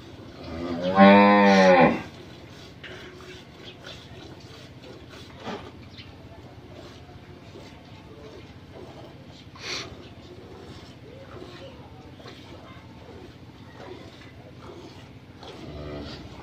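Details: Friesian cross dairy cow in her second calving, with a heifer calf, on a farm in Bhangura, Pabna, Bangladesh: one loud, rich, harmonic moo lasting about a second near the start, then quiet farmyard background with faint distant voices.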